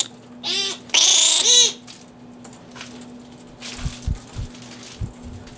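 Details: Fruit bats at the Organization for Bat Conservation headquarters, Cranbrook Institute of Science, Bloomfield Hills, Michigan, feeding on romaine lettuce under infrared light; two loud harsh squawking bursts early on, then quieter rustling and low thumps.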